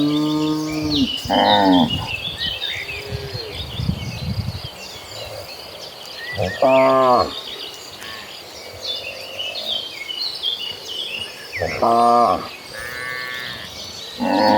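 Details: Cows in a herd moving across green pasture, giving short, bright moos roughly every five seconds, some low and drawn out, over steady bird chirping and faint rustling.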